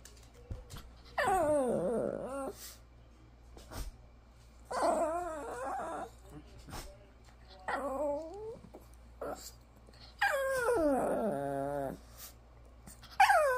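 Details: Shih Tzu 'talking' indoors: drawn-out, wavering moans and whines that rise and fall like speech, in bursts of one to two seconds separated by pauses, with a clear harmonic sweep and faint clicks in between.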